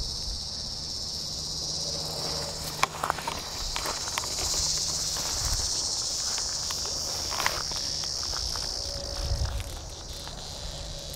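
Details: Distress call of a Tibicen dealbatus cicada caught by a praying mantis, Sand Hills State Park north of Hutchinson, Kansas, during an August 2010 heat wave; a loud, high buzz that swells and fades, with sharp ticks and rustles.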